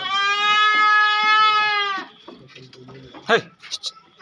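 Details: Sirohi goat at a goat market in Raja Bajar, Kolkata; one long, steady, nasal bleat lasting about two seconds, followed by quieter murmurs and a brief sharp cry.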